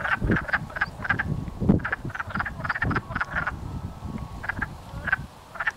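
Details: Wood frogs mating and chasing each other in a pond near a house in Blackfalds, Alberta: a steady clatter of short, hoarse, duck-like clucks from many chorusing males.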